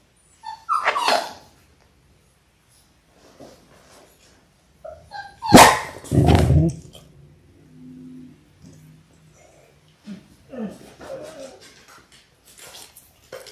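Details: Six-week-old Labrador Retriever puppies, a litter of six born January 18, 2022, filmed indoors on a live puppy cam, give short sharp yips near the start, a louder burst of barking midway, then softer whines and quiet gaps.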